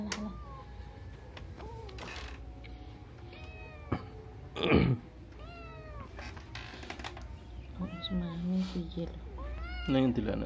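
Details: House cat giving short, arched meows at irregular intervals, interleaved with a person speaking and a brief thump near the middle.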